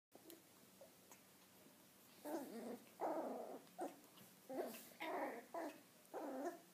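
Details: Nine-week-old male Cavalier King Charles Spaniel puppy playing with his ball, giving a series of short rough growls in bursts about half a second long, separated by brief pauses, with faint handling noises.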